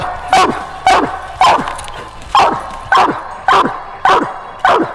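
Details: Female coonhound barking during a coon hunt, loud sharp chopped barks repeated about twice a second in a steady rhythm outdoors.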